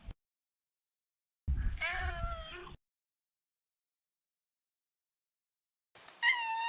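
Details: A male Maine Coon, neutered, making a wavering, somewhat hoarse meow over low rumbling, then a second rising-and-falling meow four seconds later.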